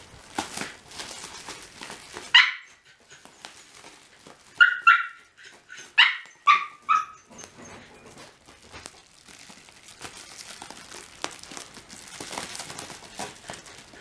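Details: A Shiba Inu named Mame, a curious, playful young dog, playing indoors with bubble wrap: a handful of sharp, high yips and barks in a quick cluster midway, amid clicking and popping noises and rustling.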